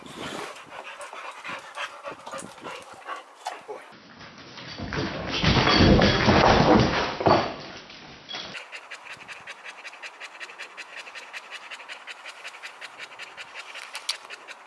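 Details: A Boxer dog chasing a thrown ball down a garden pants quickly and steadily, about three breaths a second, with a loud rustling burst in the middle.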